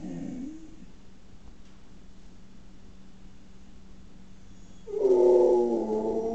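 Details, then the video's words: A pet male dog attempting to howl, its voice likened to a pig's: a short, strained harmonic whine at the start, a quiet gap with low hum, then a louder, wavering tonal howl rising in at the end. "Dog Thinks it Can Howl"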